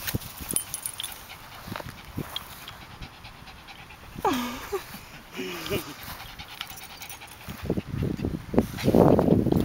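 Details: Landon, a three-year-old Yorkie/Shih Tzu mix rescued after being abandoned and now up for adoption: a brief falling whine midway, then rapid breathy panting building toward the end, with nearby talking and handling noise.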